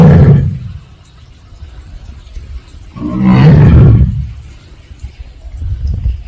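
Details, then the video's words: Captive Siberian (Korean) tiger at Seoul Grand Park zoo making 'aung' calls: two deep, low moaning roars about three seconds apart, each swelling and fading, followed by a quieter low rumble. "펜자네 가족 아웅 총 모음. 아웅~~~~🤣🤣🤣한국 호랑이 서울대공원 호랑이 시베리아 호랑이"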